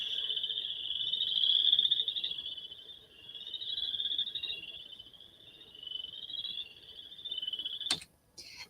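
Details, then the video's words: Western chorus frogs in New York give high, pulsed, rising trills, like a fingernail run along a comb. "we also have what are called western chorus frogs this is what they sound like"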